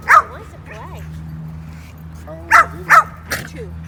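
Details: Several Basenjis playing together at a dog park in 2019; brief sharp yelping barks, one early and a quick cluster of three near the end, over low background hum and soft human talk.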